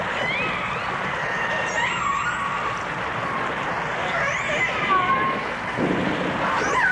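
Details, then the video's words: Dolphin song from a 1989 stereo recording of dolphins and orcas: scattered thin whistles, some swooping up and down, above a dense hiss of clicks and water noise, with a low rumbling burst near the end. "The Enchanting Sounds Of Dolphin Song (Dolphins & Orcas)"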